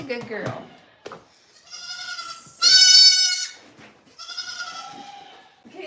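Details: Goat at The Willful Goat Farm & Home bleating in a long, nasal, quavering cry with many stacked harmonics, preceded by a shorter bleat and followed by a third; human speech and clatter at the start.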